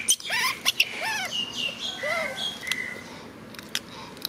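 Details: Macaque monkey crying while hugging his favourite food package; arched, harmonic wailing cries rise and fall in quick succession, mixed with thin high squeaks and sharp clicks.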